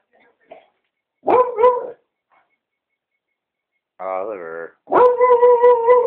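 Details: Oliver the beagle lets out two quick barks, a person's voice calls briefly, then the dog launches into a drawn-out, wavering bay.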